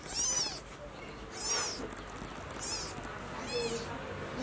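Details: Newborn kitten carried to the nest by its mother cat, Como: four high, thin, arching mews, each rising then falling, repeated about every second over a faint steady hiss.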